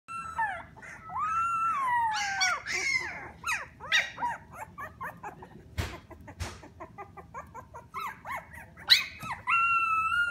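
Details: Three-week-old Alaskan Klee Kai puppies giving overlapping high whines and whimpers, some long and sliding down in pitch, others short and squeaky, in a rapid irregular chorus with a few soft knocks.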